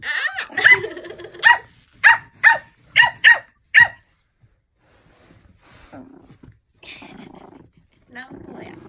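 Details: Playful Pomeranian puppy yapping in a quick series of about seven sharp, high barks, evenly spaced, then quiet with faint rustling and a few soft whines near the end.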